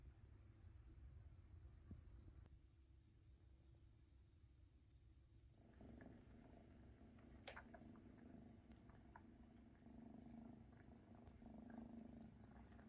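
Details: Maine Coon kittens being fed by mother Luna, purring; quiet low rumble at first, then a fuller purr after a few seconds, with occasional sharp clicks and soft suckling noises.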